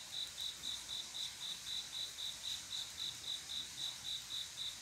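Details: Cricket singing at night, a male's love song calling a female to mate: steady high-pitched chirps, roughly four per second, evenly spaced against a soft background hiss.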